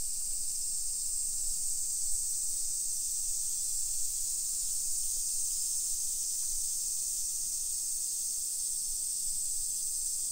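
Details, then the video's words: Midsummer cicada chorus along the streets of a modern hillside neighborhood in Nisshin, Aichi, Japan, early afternoon, 28 July 2021: an even, sizzling high drone with a few faint ticks and a low background hum. "Summer Cicadas Sounds"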